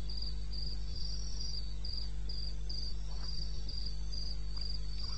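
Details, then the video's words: Night crickets in eastern Botswana wilderness, recorded at 2:30 AM on 21 May 2016, give bright, high chirping bursts at a fairly even rhythm, several insects overlapping, with a steady low droning hum underneath. "1 Hour cricket sound"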